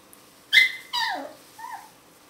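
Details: Young Alaskan Malamute puppies aged 18 to 25 days give three thin, tonal whimpers: a sharp high squeal, a longer wavering cry that drops in pitch, then a short softer whine.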